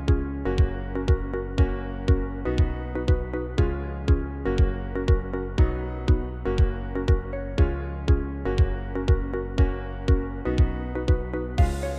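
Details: Gentle instrumental music with a steady plucked beat about twice a second and sustained tones, with no animal sounds.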